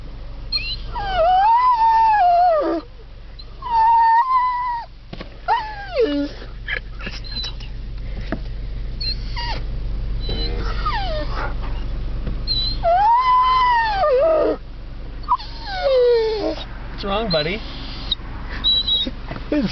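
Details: A Rhodesian Ridgeback at the top of Mt. Evans howls at mountain goats, giving drawn-out, wavering howls that rise, hold, then slide downward, with people talking near a car window.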